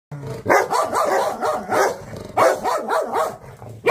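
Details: Big dogs barking and growling: harsh, rough barks in a rapid run about every half second, with continuous throaty growling filling the gaps between bursts.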